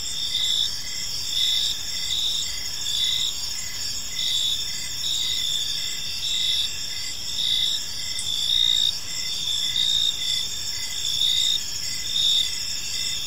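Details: Evening park ambience of many crickets, their gentle chirping forming dense high bands of sustained trills, one voice pulsing in short regular bursts about once a second, with soft low-frequency environmental noise beneath.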